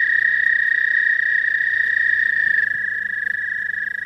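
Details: Early-spring frogs, the first visitors to a pond, calling together in a continuous shrill trilled drone that holds steady for the whole stretch, recorded on a phone with some low background hum.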